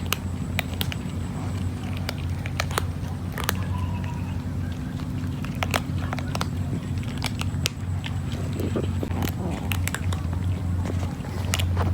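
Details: Crackling bites and tearing sounds over a constant low hum, with faint speech in the background.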